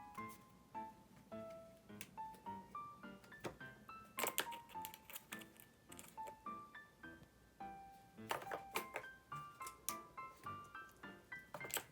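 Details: Light plucked keyboard music plays in a small indoor room, with bright repeated notes and short chimes and no animal voice.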